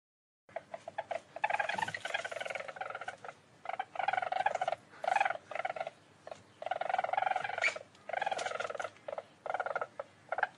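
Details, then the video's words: Rapid vibrating trills from a least weasel, harsh and rich in overtones, delivered in irregular bursts of about half a second to a second, with short gaps between them. "Łasica. Odgłosy Łasicy. Dźwięki Łasicy. Odgłosy jakie wydaje Łasica. Jak robi Łasica?"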